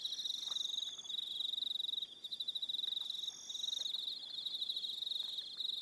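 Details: An evening cricket chorus on Aroha Island, New Zealand: high, fast pulsed trills in long runs, pausing briefly about twice, with other crickets trilling higher above and faint scattered ticks below.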